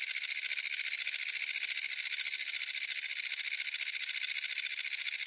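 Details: A katydid in Wynaad gives a steady, high, hissing buzz made of rapid, even pulses.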